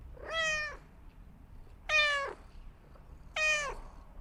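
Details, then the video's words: Domestic cat meowing indoors: three clear harmonic meows, each about half a second long, rising slightly then falling, spaced roughly every one and a half seconds over a quiet background. "The Gentle Sounds of a Cat Meowing"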